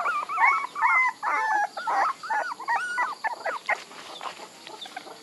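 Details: Several puppies give quick, wavering whimpers in a busy burst. The squeaky calls come about twice a second and grow softer and sparser toward the end.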